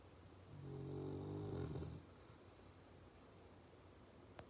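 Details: Male dog asleep, snoring and twitching: a single low, rumbling, drawn-out snore of about one and a half seconds, followed by quiet breathing and a faint click at the end.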